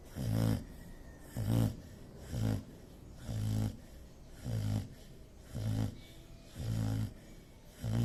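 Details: Dog asleep and snoring, a deep, rough rumble repeated about once a second, eight regular breaths with brief hushed gaps between them.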